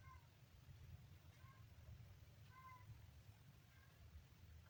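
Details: A kitten mews softly, brief harmonic cries repeated about every second, each short and level in pitch, heard over a constant low-frequency hum.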